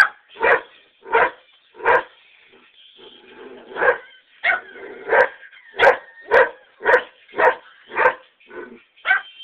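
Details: A greyhound freaking out on the back porch while greyhound videos play, barking steadily: a long run of rough, throaty barks, about fifteen, briefly pausing midway amid a faint background hum.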